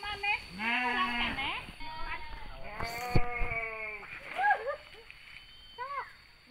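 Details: Sheep bleating during mating in the village of Sirna Rasa. Two drawn-out bleats, the second louder and longer, over people talking nearby.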